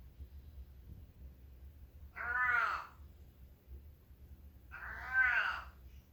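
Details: A male long-haired domestic cat, a former feral turned house cat in northwestern Oregon, gives two drawn-out, harmonic meows about three seconds apart; owner suspects he is constipated again.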